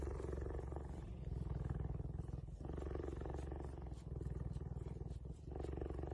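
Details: Cheetah (Acinonyx jubatus), purr.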